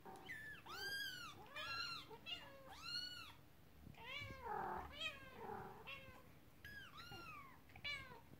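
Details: Kittens playing with their first toy, a horse-drawn carriage, as the mother cat gets upset; a busy, overlapping run of high arching mews and lower, longer meows, several voices calling almost continuously indoors.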